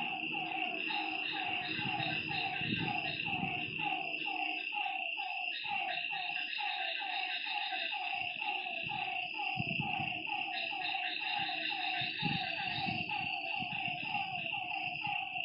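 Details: Night-time lakeside frog chorus of dense, repeated throaty notes stacked over one another, a constant shrill hum above, and intermittent low thuds and rumbles.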